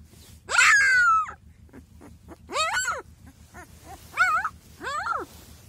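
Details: Young Kangal puppies being handled indoors; one long falling whine, followed by a series of shorter rising-and-falling yelping cries at uneven intervals, with faint background noise.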